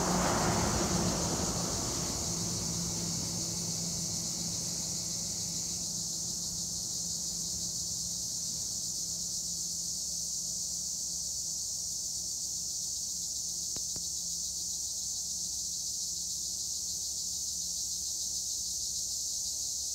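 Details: A continuous high-pitched insect drone from tree crickets (Acheta assimilis) among olive trees at Edremit/Güre, Turkey. A vehicle-like whoosh passes in the first seconds, then the steady buzzing trill carries on alone.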